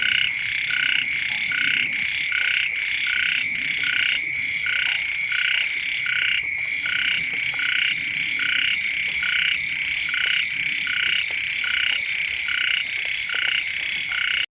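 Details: Frogs, small frogs and ueng frogs calling loudly near a house as the first rains arrive; a loud, continuous chorus of quick pulsed croaks throbs steadily, about one beat per second.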